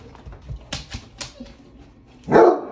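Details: A spoiled Basset Hound lets out a short, loud, moaning complaining whine, asking for its dinner.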